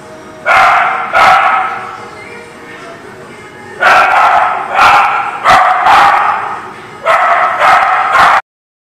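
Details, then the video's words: Dog barks recorded 3/9/20 at a dog lot: a pair of barks, a pause, then a run of four quick barks and a closing pair, each sharp and harmonic, over low steady background hum. "The Barking Lot"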